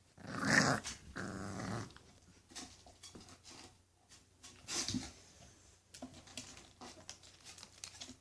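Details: English Bulldog puppies indoors giving a loud rough growl at the start, then softer grumbling growls and snuffles, with brief gaps between them.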